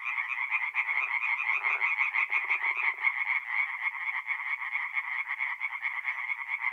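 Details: Nighttime tree frog chorus from a forest pond in north-east Italy during mid-April, many voices giving quick repeated raspy croaks without pause, plus a few brief low rattling calls early on.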